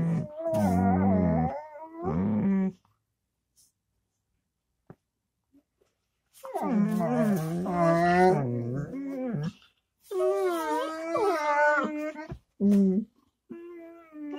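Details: Dog vocalizing in wavering, howl-like moans and whines. Two short bursts are followed by a long silence, then a longer sequence of warbling, pitch-shifting tones and a few softer closing notes.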